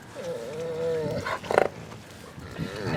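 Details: A gray wolf at a wolf park on a rainy evening, one of a social trio with a dominant female, gives a tonal, whining grumble, then a brief harsh burst, warning others to back off.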